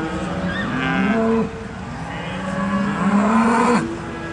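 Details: Charolais cattle at an agricultural show in South Inch Park, Perth, Scotland: a short low moo, then a long drawn-out moo that rises slightly before cutting off, over a busy show background.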